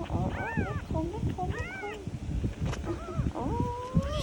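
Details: Kitten mewing during Thai speech about milk feeding: short arched cries in quick pairs, ending with one longer rising, drawn-out meow, mixed with a woman's voice and low rustling.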